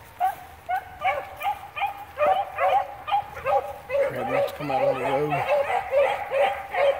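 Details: A pack of beagles bays in quick, overlapping yelping notes while tracking cottontail, bluetail and swamp rabbits.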